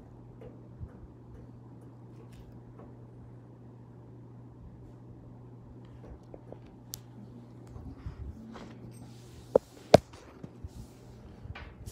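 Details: Quiet indoor room tone with a steady low electrical hum, scattered soft clicks and taps, and a couple of sharp knocks near the end.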